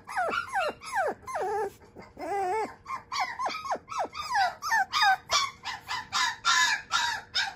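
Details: Male Shiba Inu puppy, sired by a JKC champion, giving a rapid series of high whining yelps. Each is a sharp falling or wavering squeal, about three per second, growing shriller and more strident toward the end.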